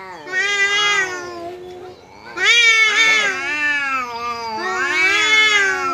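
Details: Domestic cat squaring off with a visiting cat: long drawn-out wailing yowls with rich harmonics, three swelling bouts rising and falling in pitch, with a quieter lower growl between them.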